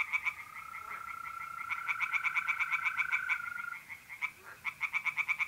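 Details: Tree frogs singing by night in a pond, north-eastern Italy in April. Rapid, regular rasping pulses stop briefly and resume, over a long, even, steady mole cricket trill lasting several seconds.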